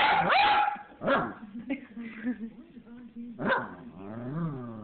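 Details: Little dog with a big voice making a talking-like string of sounds: a loud opening bark, then wavering moaning and grumbling tones and another sharp bark near the end.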